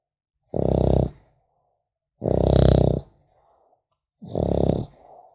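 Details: Snoring of a sleeping French Bulldog puppy: three gravelly snorts, the middle one longest, separated by soft breathing gaps, recorded in a quiet room.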